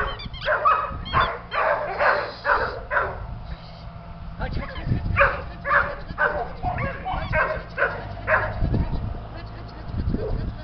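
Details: Border Collie puppies playing at a breeding kennel in Smogorzewo near Łabiszyn: short, irregular yips and little barks come in quick bursts, several per second at times, mixed with a person's voice calling to them.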